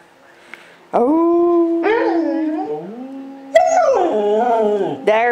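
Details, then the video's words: Two pet dogs on a military base howling with the nightly "Taps" bugle call over loudspeakers; a low steady howl joined by higher, wavering howls in overlapping bursts. "Merlin and Jett "sing" together."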